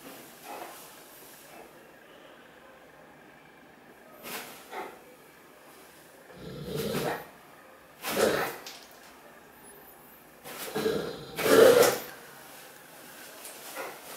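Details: Great Dane named Cartier Bresson playing indoors in an apartment in Sao Paulo, August 2014; a series of short, gruff broadband bursts arrives irregularly over the clip, strongest toward the end, with a quiet room between them.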